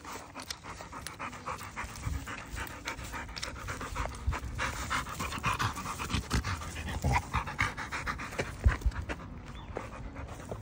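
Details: Pit Bull dogs panting: rapid, breathy broadband huffs repeating several times per second across the whole stretch, with a steady low rumble underneath.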